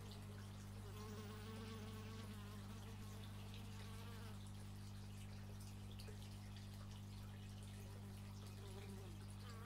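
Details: Bees buzzing outdoors, recorded in stereo with an x/y microphone: overlapping wavering drones that rise and fall as insects pass close, over a steady low mechanical hum from a neighbour's chainsaw or similar machine.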